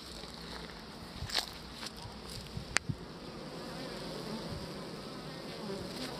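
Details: Honeybees on beeswax with a queen among them, a steady broadband hive hum with a few sharp clicks and knocks near the middle.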